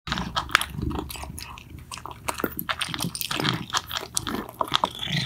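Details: Two pet cats, Mittens and Mongo, eating loudly: dense crunching and chewing clicks, irregular sharp bites spread across a wide range, close and indoors in a small room.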